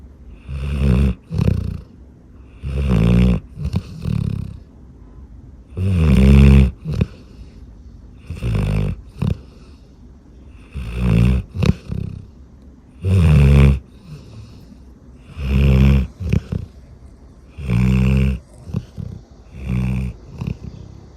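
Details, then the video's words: Golden Retriever asleep and snoring heavily, deep rumbling grunts repeating roughly every two to two and a half seconds, each snore a rough, throaty rattle with quiet breathing between; one reviewer likened it to driving a tank with its nose. "그놈 코골이"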